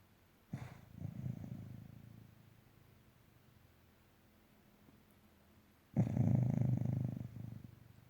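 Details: Sleeping dog snoring indoors: two low, rough, pulsing snores, the first about a second and a half long, the second louder and about a second long, with quiet breathing between them.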